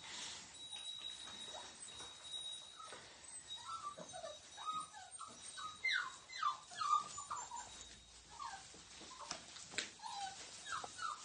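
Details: Australian Cattle Dog puppies, males and females, from working lines in Piedmont, Italy, many together whimpering with thin, wavering, overlapping whines and squeaks, some sliding downward, over a steady hum.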